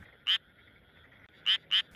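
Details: In Tokyo, a male Japanese tree frog inflates its throat and gives short, harsh, high-pitched "geh-geh" croaks in quick bursts over a soft hum; the species breeds April–August and calls before rain.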